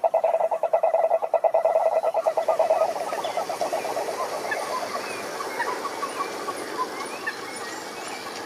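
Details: Many frogs calling together in a pond: a loud, rapid pulsed trill near one pitch dominates the first three seconds, then a dense overlapping chorus of croaks and short chirps continues at lower volume.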